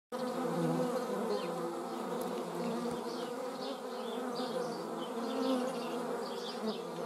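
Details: Steady, low droning buzz of hornet wings, dense and continuous with harmonic layers, recorded while observing hornets and wasps in the Eifel.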